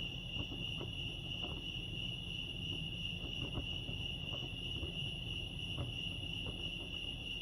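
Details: Lake Arrowhead crickets in California keep up a continuous shrill trill at a single steady pitch. Scattered soft clicks and taps and a persistent low background rumble sit beneath it.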